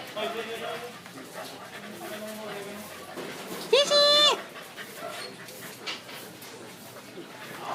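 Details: Pet dog at play, giving one loud, brief, high yelp that bends upward then falls, among Tagalog speech and household background noise.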